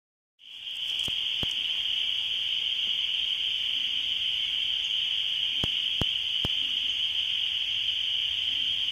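A dense spring peeper chorus forms a steady, shrill wall of high peeping that never lets up.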